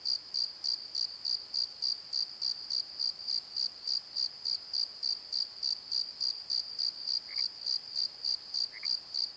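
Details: Crickets after dark in a Pozo valley bottom, captured with a Nikon D7100: rapid regular shrill pulses near three and a half a second, with two faint lower notes late on.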